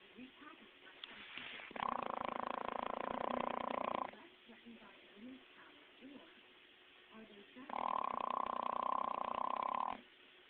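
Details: An English Bulldog snores loudly while asleep, in long, rattling, buzzy breaths with a quiet pause between them.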